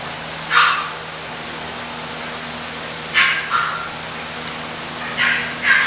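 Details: English Bulldog puppies for sale: a lone bright yap, a long quiet gap, then a double bark and a final pair of high, abrupt yelps, steady faint hum throughout.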